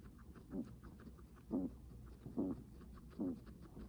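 Heavy breathing from a guinea pig comes as brief, low, husky puffs, each with a slight rasp. They repeat about once a second over a faint, steady background hiss.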